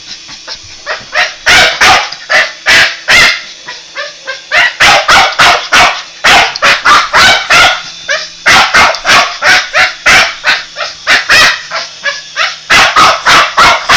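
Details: A Boston Terrier goes after a toy helicopter, letting out loud, sharp barks in fast bursts of several, with short pauses between the volleys.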